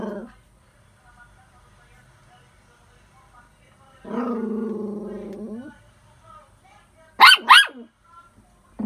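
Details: A poodle gives two sharp, high yapping barks in quick succession after a stretch of human speech.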